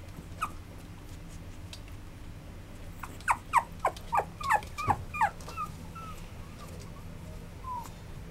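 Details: Maltese crossed with Chihuahua, recorded 29 August 2012, giving a quick run of about eight squeaky whimpers roughly a quarter second apart, then fading thin whines, against a low droning background.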